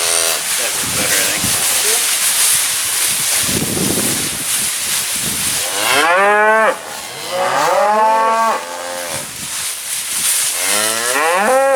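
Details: Black Angus cow-calf pairs awaiting sale in a Minnesota auction barn in June; hissy crowd noise first, then a run of wavering, rising-and-falling moos from several animals overlapping in the second half.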